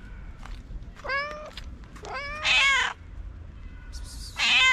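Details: Several hungry feral street cats meow while waiting for food: three drawn-out, harmonic meows, the middle one rising into a louder, strained wail, spaced about a second apart over low outdoor background rumble.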